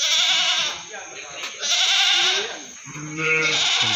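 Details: Meat goats at the Singosari animal market, Malang, bleating repeatedly: several quavering, wavering calls in quick succession with short gaps, a lower voice-like sound near the end and a steady high background whine.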